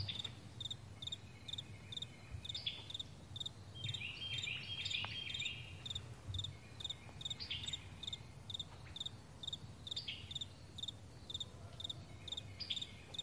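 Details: Morning meadow crickets give steady doubled chirps, roughly two each second, high and clipped, while brief bird calls break in around the middle and a low background hum persists.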